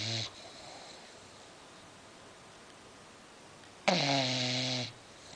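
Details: Snoring from a sleeping female English Bulldog: a brief snore tail at the start, a long quiet pause, then one drawn-out, low, buzzy snore lasting about a second.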